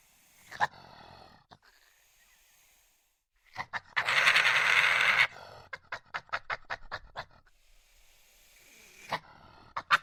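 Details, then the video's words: Aggressive badger: short rough grunts, then a loud harsh hissing blast of about a second, followed by a quick run of clipped, pulsing growl beats and a few sharp spaced grunts. "Badger sound effects | Banger growls | Badger hisses"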